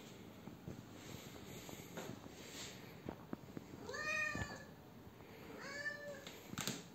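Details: Female Siamese cat indoors, begging for a custard apple package to be opened: two drawn-out, harmonic meows that rise then fall, about two seconds apart, over soft rustling and faint room noise.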